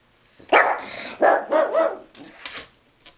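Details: Indoor dog at mealtime beside a coffee table, letting out a series of gruff, growly barks and yips, three bursts in about three seconds, in a quiet small room.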